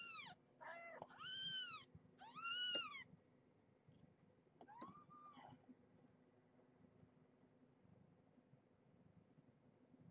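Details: Indoors with Marge, a rescued stray mother cat nursing kittens during feeding and weigh-in: three loud arching high mews in the first three seconds, then a softer, lower mew near five seconds, followed by quiet room hum.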